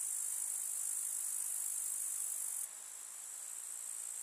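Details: Chirping of grasshoppers on a summer countryside meadow: an unbroken, very high, hissing trill that steps down suddenly in strength partway through and continues more softly.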